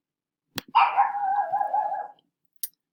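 A dog gives one drawn-out, wavering vocal that sags slightly in pitch, more moan than sharp bark.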